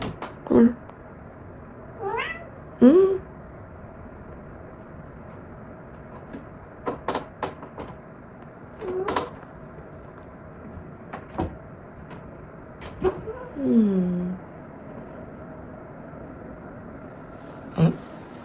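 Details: A cat at home meowing to wake its owner in the morning: several clear, drawn-out meows, some sliding downward, spread over the clip between quiet stretches, with occasional knocks and thumps in the room.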